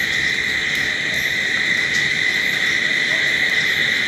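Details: Crickets at night make a dense, constant trilling drone that keeps an even level. Faint high ticks are scattered above it, and no other animals or voices stand out.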